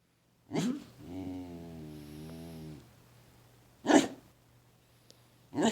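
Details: A pet dog making funny sounds: a sharp bark, then a drawn-out, wavering, harmonic moan lasting about two seconds, then two more short, sharp barks, over a low steady hum.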